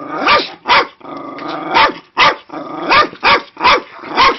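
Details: Cairn Terrier, a female dog, barking angrily at dogs shown on a screen: eight or so quick, sharp barks spaced unevenly, roughly two per second, with a rumbling growl between the second and third bursts.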